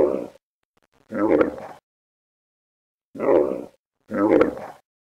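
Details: Camel giving four short, harsh grunting roars, each about half a second long and separated by silent gaps. The rough, throaty bursts sound nearly identical, with no other sounds in the background.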